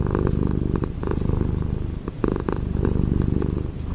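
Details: Domestic cat purring up close, a dense, rapidly pulsing low rumble that continues almost without pause and dips briefly around the middle.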